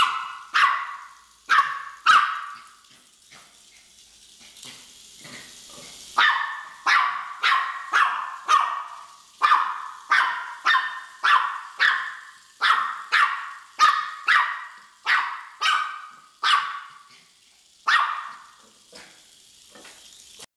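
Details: Pet Miniature Pinscher excitedly chasing a Hexbug Scarab toy as if it were an intruder, barking in a long, steady run of about thirty sharp, high barks over twenty seconds, briefly quieter near the start.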